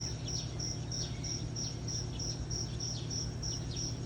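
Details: Cricket chirping in the morning, a high, thin pulse repeated steadily about three times a second over a constant low hum and background noise.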